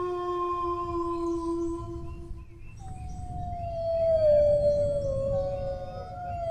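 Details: Dog howling: a long steady tone for nearly three seconds breaks off, then a new drawn-out howl starts higher and slides slowly downward, over a low rumbling background.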